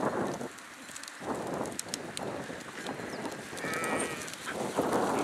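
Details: Flock of sheep with overlapping bleats, some long and wavering, against a steady broadband din of the herd.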